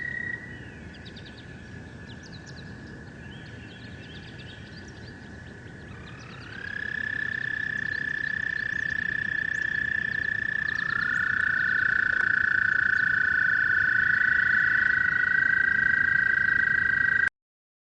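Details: Toad calling in long, sustained, steady trills; one trill runs from the start, a second caller joins around six seconds and a third near eleven seconds, overlapping and growing louder, over a faint background hiss.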